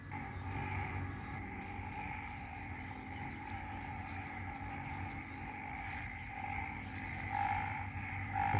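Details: Frog chorus in Isaan, Ubon Ratchathani, Thailand, the night after rain: a steady droning hum in two pitch bands, mid and high, with soft pulsing swells and a low rural background rumble.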